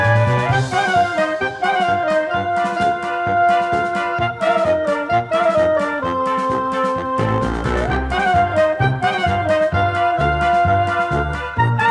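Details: Lively brassy comic music with trumpet and trombone lines, no animal sounds.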